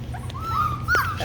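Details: Labradoodle puppy a few weeks old giving a drawn-out, thin, wavering whine that rises at the end, over a low steady hum.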